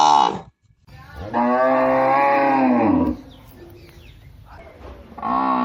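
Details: Cow lowing: the tail of a moo, a short pause, then a full, deep moo of nearly two seconds with a slightly falling pitch, quiet background noise, and another moo beginning at the end.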